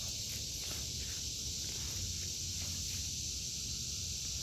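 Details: An even, shrill cicada drone hangs over an August 2023 vegetable garden while soft footsteps and leaf rustles shuffle along underneath.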